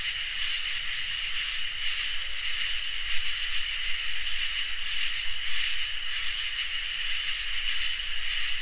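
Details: Summer night chorus of crickets and katydids, with an unbroken thin cricket trill under rasping, sizzling katydid phrases that swell and stop in a regular rhythm, about five phrases spaced roughly two seconds apart.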